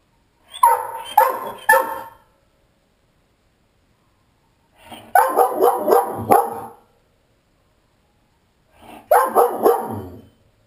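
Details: Giant Schnauzer left alone at home, growing aggravated and trying to escape through a sliding glass door: three bursts of deep, rough barks, each a quick run of three or four barks, separated by pauses of a few seconds.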